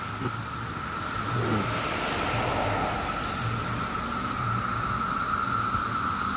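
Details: 17-year cicadas in mass numbers on a summer day in Maryland: a steady, high, droning chorus that holds unbroken through the clip, with low rumbling road traffic beneath.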